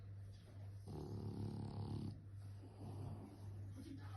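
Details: Snoring French bulldog. One long, buzzy, rattling inhalation lasts about a second, followed by a softer, shorter breath, over a constant low electrical-sounding hum.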